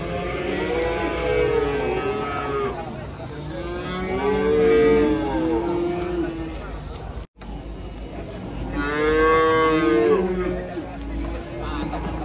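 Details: Cattle in Indonesia, described as fat, lowing three times in long, loud moos with rich harmonics, each lasting about two to three seconds, with a short break between; low background noise.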